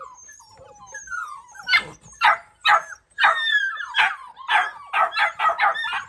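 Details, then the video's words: Labrador Retriever puppies bark in short, sharp bursts after a stretch of thin, sliding whines. "Perros ladrando (labrador)"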